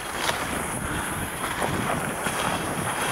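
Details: Steady wind roaring across the microphone outdoors while skiing, with no animal voice.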